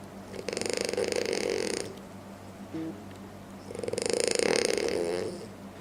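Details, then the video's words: French Bulldog sleeping and snoring loudly: two long rasping, rattling breaths with a broad hiss, each lasting about one and a half seconds, separated by a quiet pause with a faint brief squeak. "French Bulldog Sleeps Like A Demon (Loud Snoring)"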